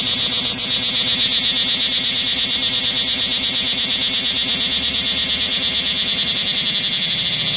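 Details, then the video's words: Loud insect giving a shrill, high-pitched continuous buzz with a fast pulsing texture, held steadily throughout at close range with no other clear sounds. "Loud insect"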